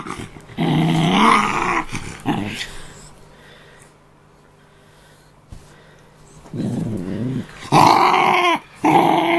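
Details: Guarding his after-meal play toy indoors, pet dog Peapea, an Australian terrier cross, gives long harsh growls. Companion dog Buibui is nearby. A two-second rumbling growl comes first, then a quiet pause, then a run of louder, snarling growls.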